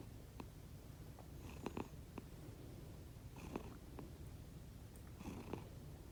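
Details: Two rescued house cats, Konbu (white and brown) and Myun (grey and white), indoors while asleep, making a sound unlike their usual purring: a steady, soft, low rumble throughout, with a few faint clicks and rustles above it.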